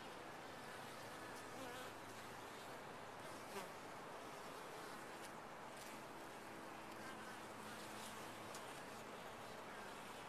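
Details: Honey bees in a top-bar hive, a dense steady hum of many wings filling the whole stretch with faint low droning tones and scattered brief crackles and ticks from movement inside the hive.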